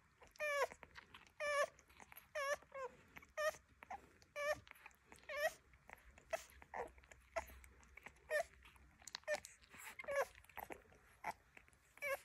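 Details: Rhodesian Ridgeback puppies at mealtime give a steady run of short, high, quavering whines about once a second. Each cry slides up then down, with faint rustling and lapping between calls.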